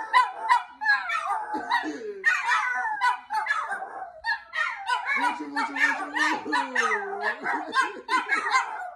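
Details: Several Chihuahuas barking and howling together indoors: rapid high yappy barks overlapping, with a drawn-out wavering howl gliding down in the middle, and a person speaking briefly.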